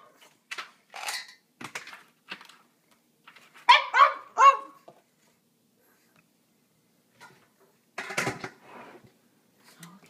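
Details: Dinner-time barking from Pixie the pet dog, earlier than normal: scattered sharp barks, a quick burst of three loud ones midway, then a later bark, with indoor quiet gaps and a little human speech.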